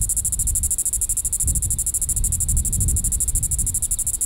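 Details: Diceroprocta vitripennis cicada in the evening at Sand Hills State Park, Reno County, Kansas, July 20, 2014: continuous high rasping pulses running throughout, accompanied by loud low-frequency rumble and wind-like noise.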